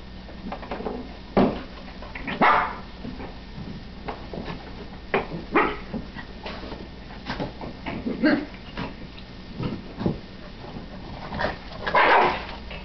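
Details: Two dogs playing, a Shih Tzu and a Chow/German Shepherd mix: scattered short barks and yips with growly bursts at irregular intervals, louder outbursts near the start and end.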